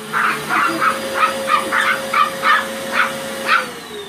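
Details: Two Chihuahuas bark at a vacuum cleaner. Short, high yapping barks come in quick succession, about two or three a second, over a steady droning motor hum.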